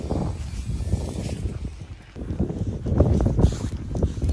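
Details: Heavy wind buffets the microphone with a low, rumbling roar that rises and falls, with no animal voice present.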